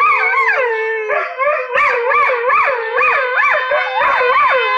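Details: Vizsla vocalising in a yodel-like, undulating howl: smooth tones then rhythmic pitch swoops repeating roughly every half second, loud and continuous.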